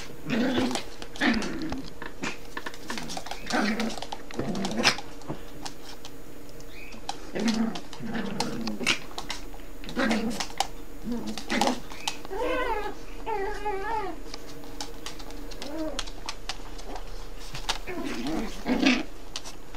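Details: A Yorkshire terrier mother gives sharp, repeated barks and growls, with a whimper between, as she scolds her puppy (son) for bad behaviour, though the two Yorkies are actually playing.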